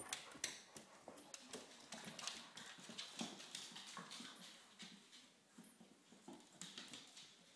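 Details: English Springer Spaniels, a family of father Gunnar, mother Kala and puppy Diesel, play fighting: rough low growls and short whimpering grunts in quick irregular bursts, mixed with scuffling, thumps and broadband scraping noise.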